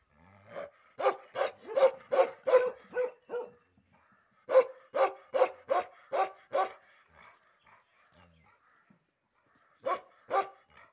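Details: Bakharwal dog barking aggressively while ear and tail hair is cut, in two fast volleys of harsh barks separated by a quiet spell with faint voices, then two final barks near the end.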